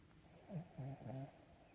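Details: Cavalier King Charles Spaniel dozing on a lap makes three quick, low, rattling snore pulses in under a second, each a brief throaty buzz.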